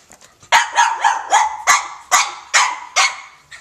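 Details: French Bulldog Elmer playing with a cat, barking in a quick run of about eight sharp, rough barks over three seconds, each bark broad and rasping and evenly spaced.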